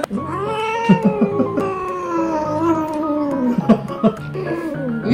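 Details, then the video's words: A domestic cat, second of several getting nails clipped while suspended in a floating hammock, gives a long siren-like yowl of protest that slowly sinks in pitch, clearly voicing its feelings. "இரண்டாவது பூனை தன் உணர்வுகளை தெளிவாக வெளிப்படுத்துகிறது அதன் குரல் சைரன் போல் உள்ளது"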